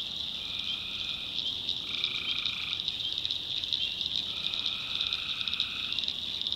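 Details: Nighttime tree frog chorus from the backwoods of North Carolina: loud, pulsing high-pitched trilling throughout, punctuated by a few lower buzzy trills of about one to two seconds each.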